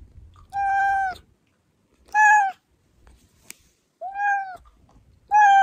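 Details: Indoor cat meowing, sound played to bring hiding cats running; four loud, full harmonic meows about every one and a half seconds, each arching slightly, with a sharp click in a short pause.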